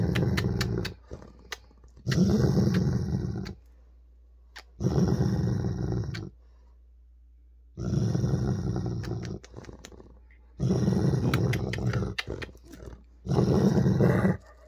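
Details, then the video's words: Weimaraner named Holder growling in annoyance over his ball indoors: five deep, throaty rumbling growls lasting one to two seconds each, spaced by short silences, with occasional clicks and faint human voice. "Is That My Ball? - Holder The Weimaraner"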